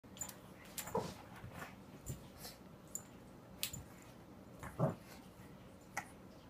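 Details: A Pekingese pup gives two brief, soft whimpering yips a few seconds apart in a quiet room.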